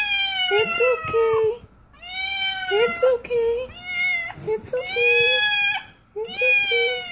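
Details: Domestic cat giving birth for the first time, meowing loudly in long, high, arched wails that rise then fall, several in a row, with short gaps and a person's low, calm murmuring voice between cries.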